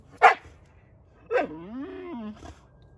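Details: Playful harassment of Samson the Boxer by Odin the German Shepherd and little Bella: one sharp bark, then a bark sliding into a drawn-out falling yelp, and a faint final bark.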